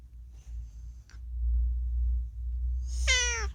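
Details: Indoors, the talkative rescue cat Unagi gives one bright descending meow near the end, preceded by a faint high whine and a brief click, over a loud low rumbling background.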